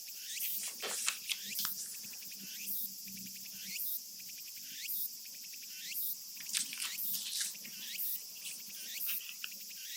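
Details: Japanese summer cicadas, recorded for real in Japan, fill the air with a sizzling high buzz and looping swept phrases repeated about once a second, with soft scattered rustles underneath.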